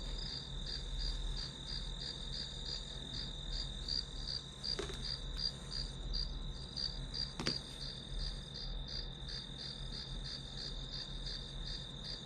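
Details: Study-session backdrop of grass insects: a sustained high trill pulsing evenly, with two sharp clicks partway through and a persistent low rumble underneath.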